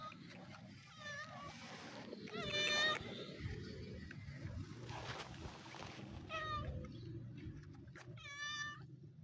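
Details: Two sibling stray cats living on the street, happy as they are given food; several harmonic meows, some short and one longer rising-falling call, over steady low background rumble and a little speech.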